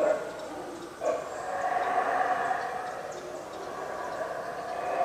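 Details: Howler monkeys at the Yaxchilan ruins in Mexico in the early morning, from about 7:45am, give a deep, continuous roaring drone. It swells after one second and holds steady, with faint higher chirps above.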